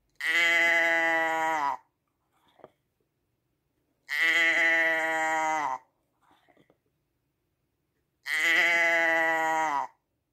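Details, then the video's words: Sheep bleating three times at a regular pace, about every four seconds. Each call is a steady nasal bleat of around one and a half seconds with a slight drop at the end. Soft rustles fall between the calls. "Sheep sound"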